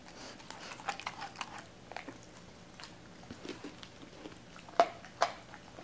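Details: Doberman named Cola eating raw chicken in a small room; steady soft wet chewing, a little over two bites per second, ending with two sharp crunches.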